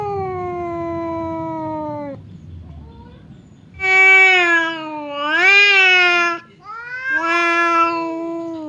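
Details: Two domestic cats, fierce Temon and quiet Lelo, square off for a fight through a partition that keeps them apart. Long drawn-out yowls waver and bend in pitch. A rising-and-falling wail follows, then another sustained howl.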